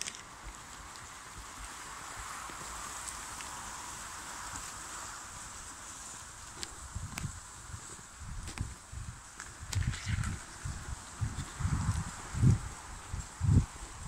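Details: Tempête, a draft mare logging in Brittany, working alone and guided by voice; steady hiss and rustling give way to heavy, dull hoof thuds roughly once a second, growing louder over the last five seconds.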